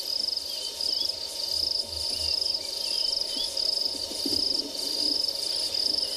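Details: On a sunrise game drive on 19 March at Tswalu Kalahari Reserve, South Africa, a crested grasshopper clinging to a leaf gives a high, grating, cicada-like buzz in rapid repeated pulses.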